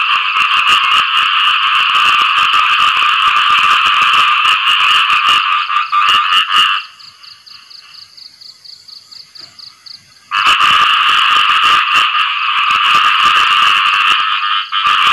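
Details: Khiat i-mo frogs calling for partners after rain: a loud, fast, rasping chorus stops for about four seconds, leaving a faint high pulsing trill, then resumes at full volume.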